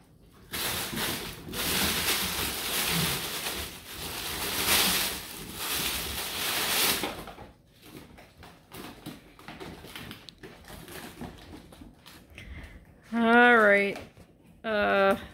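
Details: Two Beagle puppies indoors: after several seconds of rustling, household noise and voice, a loud wavering, harmonic howl rises and falls for about two seconds, then a second shorter bay follows.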